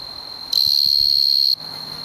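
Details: Male tree cricket singing in the Oldman River valley, Lethbridge, Alberta: a steady, pure high-pitched trill holds one even tone for about a second, then stops abruptly, leaving a fainter continuous hum behind it.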